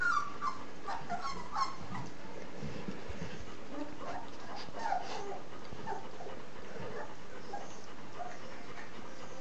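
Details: Three-week-old puppies of a Z-litter nursing; short high whimpers and squeaks scattered through the clip, some in quick pairs, over a steady low rustling and suckling noise.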